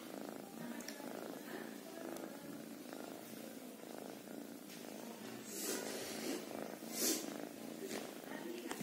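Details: A kitten keeps up a low, throaty purr throughout, pulsing evenly, while brief rustling bursts come through toward the end.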